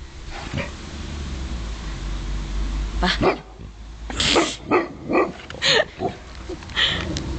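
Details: Dog described as ridiculously scared of water, having swum in the ocean only once: a run of sharp barks roughly every half second through the second half, over a steady low rumble, with people talking nearby.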